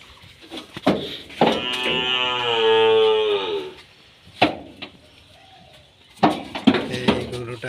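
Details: A bull being loaded for delivery to Dhaka, Bangladesh, gives one long harmonic moo of about two seconds, steady then slightly falling, with people talking, clattering handling noises and sharp knocks before and after.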